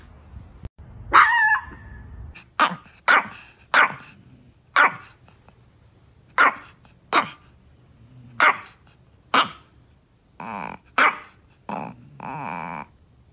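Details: Chihuahua, a small dog, barking at a cat: a run of about twelve short, sharp barks spaced roughly half a second to a second apart, some with a rough, growl-like edge, over quiet background.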